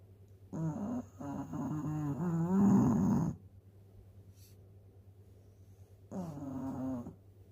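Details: Eleven-year-old Shih Tzu snoring while asleep after a meal of dog food: a long, raspy, low buzzing snore lasting about three seconds, a quiet pause, then a shorter rasping snore, over a steady low hum.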